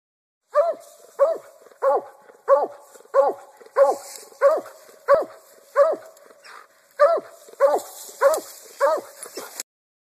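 A black and tan coonhound's treeing bay: loud, ringing barks repeated steadily, about one every two-thirds of a second.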